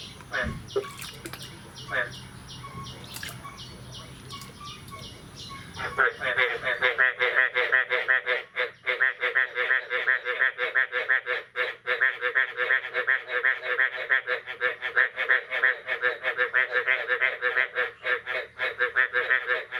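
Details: Frog chorus on the morning of 9 May 2022, the year's first rain: after a few seconds of quiet rustling, a loud, dense wall of rapid, pulsing croaks begins and continues without a break, many voices overlapping.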